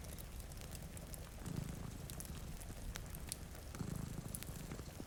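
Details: Low purr of two cats sleeping in front of a rainy window, swelling twice in slow rhythmic waves, with frequent crackling from a fire and rainfall in the background.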